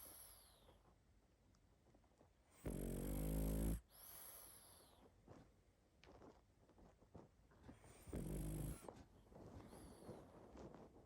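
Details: Deep in sleep, a pug gives two loud, droning snores about five seconds apart, the first lasting over a second and the second shorter, with soft snuffling breaths between them.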